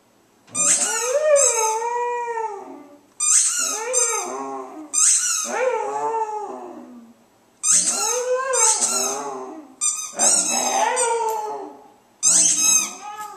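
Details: Pet dog indoors howling along to its squeaky toy ball: long, wavering howls that rise and then slide down, in five bursts of about two seconds each, mixed with sharp, high squeaks from the ball.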